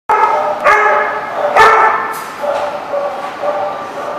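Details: Dog barking, recorded 2/10/14: a few loud, sharp barks about a second apart, then softer, shorter yips trailing off at a steady pace.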